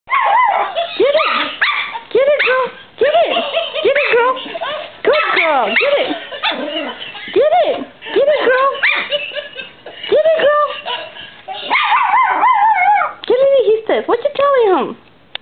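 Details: Dog making a 'laughing' vocalization: a long run of short, arching, whine-like yelps, each rising then falling in pitch, in quick bursts separated by brief pauses.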